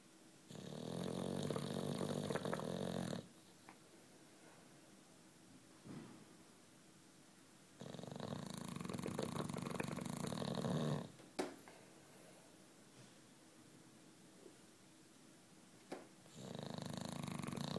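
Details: Juanito, a 9-year-old British Bulldog, snoring while asleep indoors: long rasping inhalations of about three seconds, separated by quiet pauses of several seconds, with a faint fluttering texture inside each breath.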